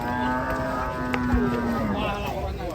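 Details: Large cattle in Indonesia giving a long, steady, low-pitched moo rich in harmonics that fades slightly toward its close, with people talking nearby.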